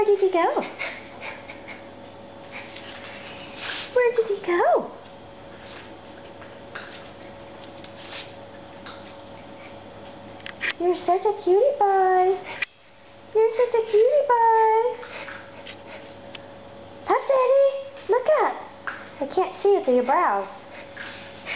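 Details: Whimpering from a 14-week-old schnauzer puppy named Puff Daddy, weighing just 14 ounces. Thin, wavering whines come in short bursts spread over the recording. Between them a woman talks softly, and a steady electrical hum runs underneath.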